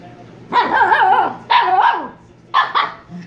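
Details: Shiba Inu pup, from Kyno and Niro, giving three drawn-out, wavering, yelping barks, each about half a second to a second long, with a slight quaver in pitch, in a quiet indoor setting.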